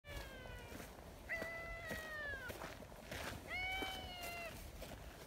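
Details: Talkative silver tabby community cat, living outdoors, calls to a person hiding behind a bench: two drawn-out, clear meows, each about a second long, slightly wavering in pitch, with faint rustling and outdoor background noise.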